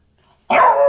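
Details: Beagle giving a single sharp bark, starting abruptly halfway through after near silence and holding loud to the end, with a bright tonal edge.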